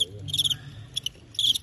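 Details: Fighting crickets during a cricket fight match billed as Teng County knocking out Qingyuan: short, shrill, high chirp bursts in three quick groups over under two seconds, with a low hum underneath.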